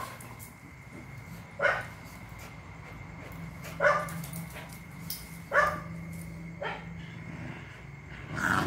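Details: Phu Quoc Ridgeback dogs on Phu Quoc island give five short, sharp barks spaced one to two seconds apart. The last one swells louder, over a steady low hum and a faint high tone.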